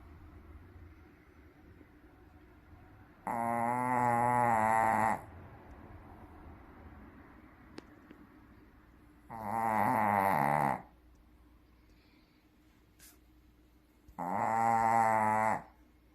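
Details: Deeply sleeping Shih Tzu giving loud snores: three separate harsh, buzzing rasps, each one to two seconds long, spaced roughly five seconds apart with quiet breathing between.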